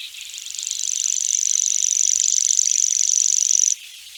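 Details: Grasshopper buzzing: a high, finely pulsed, steady buzz that swells in over the first second, holds level for about three seconds, then stops abruptly, leaving faint background hiss.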